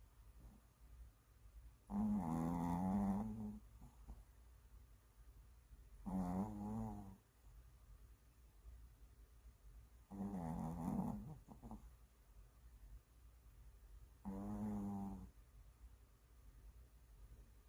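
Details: Worn-out Maltese dog asleep indoors, giving four drawn-out, rattling snores about every four seconds, each a low buzzy rasp lasting around a second, separated by near silence.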